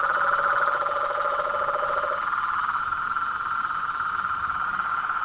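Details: A dense evening chorus of frogs, toads and tree frogs at a pond near a house: a continuous, pulsing buzzy trill, with a lower droning trill that stops after two seconds and faint high chirps above.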